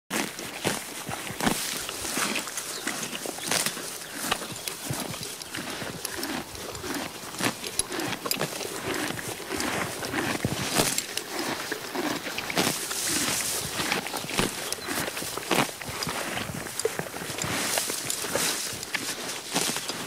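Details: Horse grazing on grass, steady crunching and ripping as stems are torn and chewed, dense irregular bursts running through the whole stretch with no pauses.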